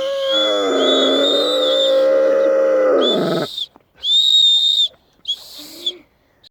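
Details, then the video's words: Caucasian Shepherd Dog keeping children company while they blow a whistle, producing a long, harmonic, wavering howl for over three seconds that drops away at the end, followed by several short, high whistle blasts from the children. "Кавказская овчарка свистит/поет"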